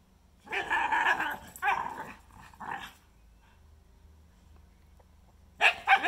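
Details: Shikoku and Karelian Bear Dog at play on a melted pond surface outside, Koya trash-talking as part of the fun; loud, raspy growl-barks in three quick runs, a pause of silence, then another harsh outburst.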